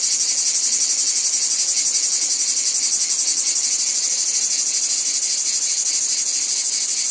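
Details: In a wheat field, cicadas keep up a sharp, hissing, continuous drone with fine rapid pulsation, even in loudness across the whole stretch.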